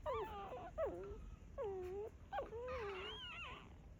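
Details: Mother dog birthing puppies in a secret spot, with soft drawn-out whimpers: four falling, moaning whines, each about half a second long, ending in a higher wavering whine over a faint steady hiss.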